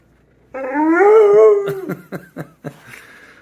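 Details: Zeusy, a pet Pit Bull indoors, vocalizes while trying to reach something under the couch: one long harmonic whine lasting over a second, slightly rising then falling, followed by several short choppy grunting syllables, with a person talking to him.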